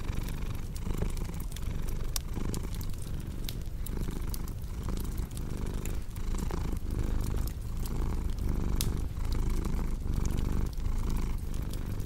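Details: Cozy purring cat, a thick low drone swelling with each breath about once a second, mixed with bright crackles and pops from a fireplace.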